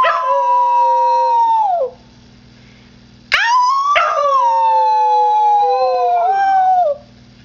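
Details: Male Husky mix howling: a long, smooth, steady howl that sags and fades after about two seconds, a pause, then a second howl starting with a sharp rising yelp and drifting slowly downward for three seconds.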